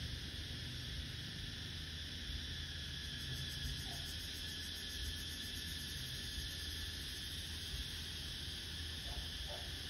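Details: A cicada calling at midday in summer gives a steady, high, shrill buzz that drones on without a break over a low rumble.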